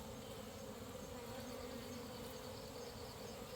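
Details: Nighttime honey hunt in the dark, many honey bees crawling onto a hand: an even, unbroken buzzing hum with a steady low drone and soft rustling texture.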